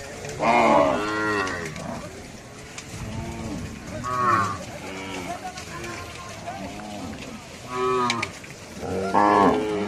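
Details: Cows mooing while crossing: four or five long, strained bellows with rich harmonics, coming about every two to three seconds, some overlapping, with a continuous low background noise.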